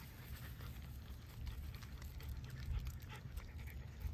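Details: French Bulldogs, a parent and child, on a walk at Miharu Dam's viewpoint spot. Soft, rapid breathy panting comes through faintly under steady outdoor background noise.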